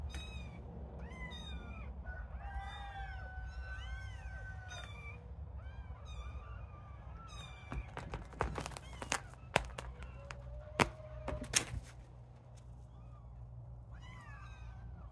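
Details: Little kittens at play, beginning to play with people; many overlapping thin, arched mews in the first five seconds, then sharp clicks and knocks of play, a longer level mew and a final mew at the end over steady low hum.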